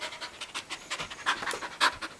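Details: A Samoyed husky mix pants rapidly while doing tricks, with quick breathy bursts repeating about six times a second and a few louder huffs near the end.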